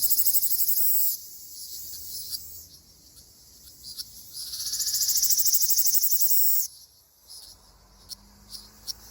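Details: Ryukyu large brown cicada (Graptopsaltria bimaculata) singing in mid-June in a forest in Okinawa: a dense, high, sizzling buzz in a loud opening burst, then a quieter stretch before a second swelling buzz, followed by faint scattered ticks.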